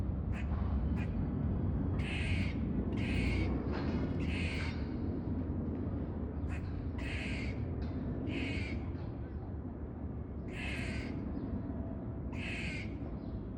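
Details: A squirrel makes warning noises while sniffing a peanut: harsh, raspy barks in irregular pairs and runs over a steady low rumble.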